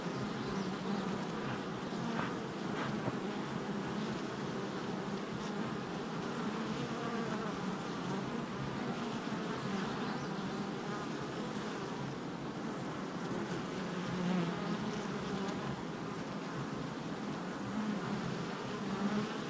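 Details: Long stretch of honey bee activity at a hive entrance on July 22nd, 2024: an unbroken, grainy low hum, with individual bees' droning pitches briefly rising above the mass now and then.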